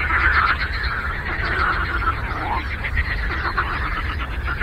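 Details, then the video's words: Frogs croaking together on a lake, a dense, unbroken chorus of overlapping rasping croaks in the mid range, with a low steady rumble underneath throughout. "Frog Croaking"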